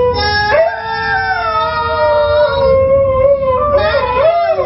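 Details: A Siberian Husky howls along to the song "Fight Song", holding a long, tuneful howl that slides up and down in pitch, with the music behind it.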